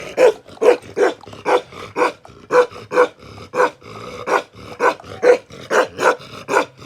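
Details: Bakarwal dog, an aggressive protection dog, barking steadily: deep, harsh barks come roughly every half second, about fifteen in a row, with only brief gaps between them.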